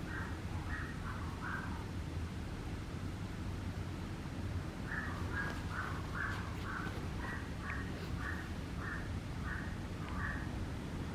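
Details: Young Papillon Dora whimpering: a short cluster of thin, high yelps first, a pause, then a long regular run of about a dozen brief whines, one after another, against a continuous low hum.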